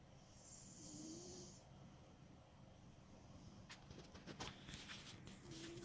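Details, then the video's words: Loud-snoring pet cat Smokey while sleeping: an early hissing snore with a thin rising whistle, a pause, then a burst of crackling clicks and rustles, and a closing faint whistled breath. "Snoring Cat"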